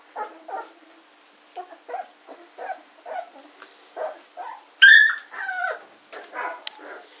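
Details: Litter of German Shorthaired Pointer puppies, 14 days old, kennel recording of 24 August 2016; a run of soft, evenly spaced grunting whimpers, then a sudden sharp squeal followed by several higher sliding whines.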